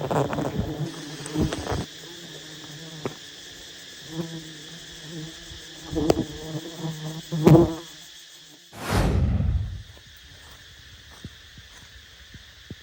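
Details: Honey bees buzzing around a huge wild nest while honey hunters climb toward it: a continuous low hum with layered overtones, scattered taps and knocks, and a loud rushing burst near the end.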